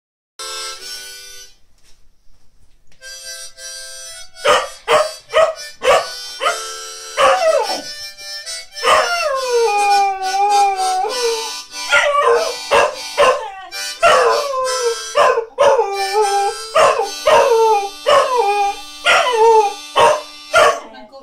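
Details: Bailey, a pet Spanish Water Dog, singing: drawn-out, wavering howls that rise and fall. They come in repeated bursts beside loud, steady, reedy harmonica-like tones, with short sharp breaks between phrases.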